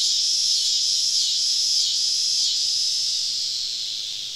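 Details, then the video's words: Cicada chorus on a southern summer evening deep in the woods while camping; a loud high buzz swelling and dipping in waves about every half second, then gradually fading. "Southern Evening Summer Cicada Symphony"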